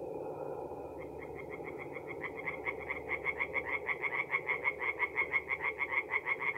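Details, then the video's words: At a North-East Italian forest pond on an April night, a background murmur of frogs gives way to a nearby tree frog whose quick, pulsing croaks build steadily in loudness into a rhythmic rattle, roughly three per second. "relaxing forest pond by night with singing tree frogs"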